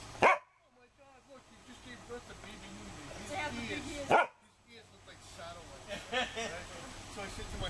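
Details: Pet dog barking for attention, Sunday midday, 16 September 2012, Canon PowerShot SX260 HS: a single sharp bark opens, another follows about four seconds later, with a person talking steadily between them.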